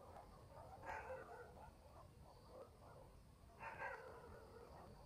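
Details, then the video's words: Night in a rural village with a dog giving two sharp, harsh barks about three seconds apart, softer muffled barking between them and a steady low background murmur. "barking dogs in the village"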